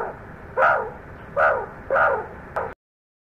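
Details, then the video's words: Meerkat aggression at a snake's scent trail: three harsh, barking calls a little under a second apart, then a brief clipped fourth call before sudden silence. "MEERKAT AGGRESSION TOWARDS SNAKE SCENT / SMELL"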